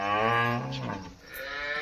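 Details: Dairy farm cow, a Holstein Friesian, gives a short deep moo that fades quickly. A man's voice follows, describing the animal's milk.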